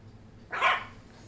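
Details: A 10-week-old Boston Terrier puppy barks at his rope lying on the tile floor, too scared to fetch it and trying to intimidate it instead; one short, sharp, mid-pitched bark rising out of a quiet room.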